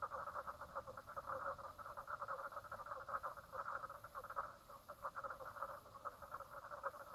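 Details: Frogs at Brown Lake, Stradbroke Island, Queensland, Australia, on 04/03/2017 at 10:55 am, call in a steady chorus of rapid, rattling pulses at a mid pitch.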